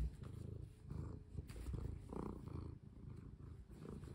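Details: Domestic cat purring while being played with indoors as collars are put on; steady low rumbling purr, pulsing rapidly and continuously, with soft rustling in the background.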